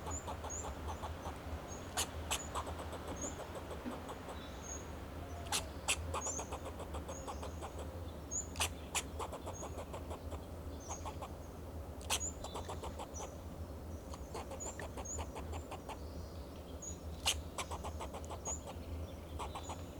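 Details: Alarm calling by a fox squirrel in a Monterey pine, Del Monte Forest, California, defending itself and its territory. Repeated bursts of quick clicking chucks with occasional loud sharp snaps, faint high whistles, over a constant low rumbling hum.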